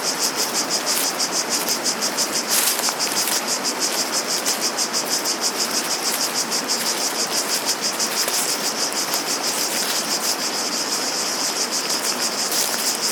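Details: Shrill, pulsing cicada drone that rises and falls rhythmically, with flowing water hissing steadily beneath and an occasional brief louder rustle.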